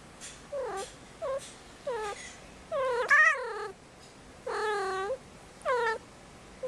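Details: Female kitten in heat at five months, kept indoors before spaying: rapid run of about eight yowling meows, short ones early, then longer, louder, wavering cries toward the end.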